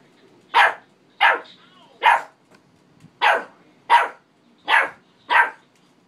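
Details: Pet dog barking at himself: seven sharp, loud single barks spaced under a second apart, each a short burst with quiet gaps between, no other sounds.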